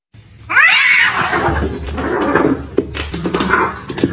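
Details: Domestic cats fighting, one left injured: a loud harmonic yowl swells and arches up then down, giving way to harsh, noisy snarling and scuffling bursts for the next three seconds in a small indoor space.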